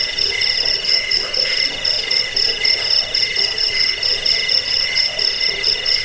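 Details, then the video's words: Cricket sound meant for repelling rats, bringing sleep and teaching cage birds: continuous rapid high-pitched pulses forming an unbroken shrill buzz. "Suara jangkik pengusir tikus pengantar tidur"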